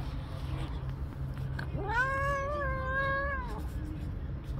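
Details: Stray tabby cat with kittens, angry at a person for touching them: a single sustained, strained yowl of nearly two seconds, sweeping up, holding steady, then cutting off, against low background rumble.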